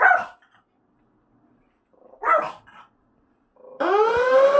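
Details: Pet dog indoors during an apartment fire-safety inspection, reacting to the building siren: one sharp bark, a pause, then another bark, followed by a loud rising electronic siren tone that takes over the end.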